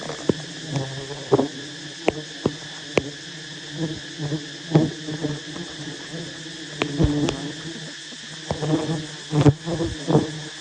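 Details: Massive wild honey bee nest being harvested by honey hunters; a continuous low hum from the swarm sits beneath frequent bursts of rustling, tapping and handling noise.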